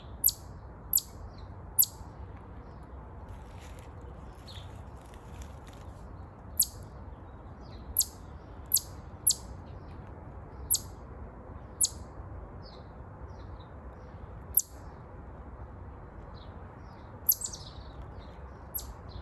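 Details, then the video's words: Series of brief, piercing high chirps from a chipmunk, irregularly spaced, sometimes in quick pairs, separated by short silences against a quiet low background hum. "Chipmunk chirping sound."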